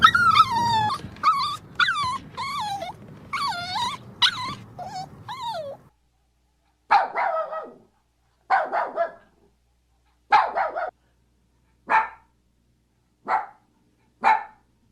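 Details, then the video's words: Dog giving a rapid run of high, wavering whimpers and yips for about six seconds. After a pause come six separate short sharp barks, roughly one every one and a half seconds, in otherwise quiet surroundings. "Learn the sounds of cute Dogs and Puppies of different breeds"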